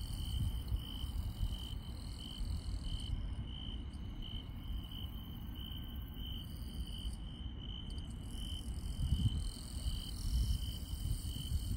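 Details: Rural night chorus of insects, led by a clear rhythmic high trill pulsing in quick even beats, with higher chirping voices that drop out briefly mid-recording; steady low rumble beneath.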